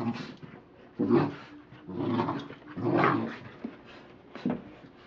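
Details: American Pit Bull Terrier playing with his toy indoors, giving low rough growling grumbles in several bursts about a second long, with short pauses between.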